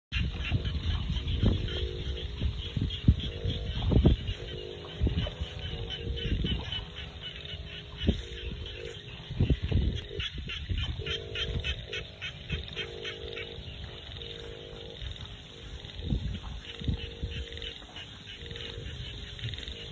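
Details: Frogs calling in a rice field in the Thai countryside: a dense chorus of short, rapid clicking pulses repeated steadily throughout, with low wind rumble and buffeting underneath.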